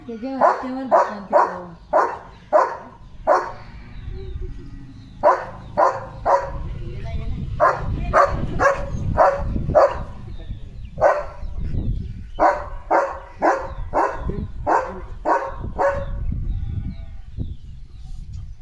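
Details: Leo, a pet German Shepherd, excited over a surprise chicken chips treat, barks in short sharp bursts, many in quick runs of four or five with brief pauses, a person's voice mixed in at times.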